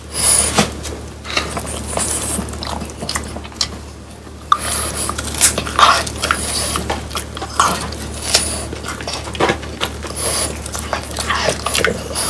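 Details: Crunchy chewing by pet French Bulldogs on hand-dried whole quail with bones. Scattered crisp cracks and scraping bites come with short pauses, including a quieter stretch near the middle, over a faint low hum in a small room.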